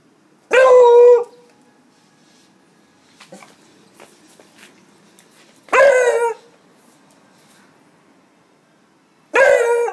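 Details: A 15-year-old Beagle, in summer 2016, gives three loud, drawn-out barks, each several seconds apart.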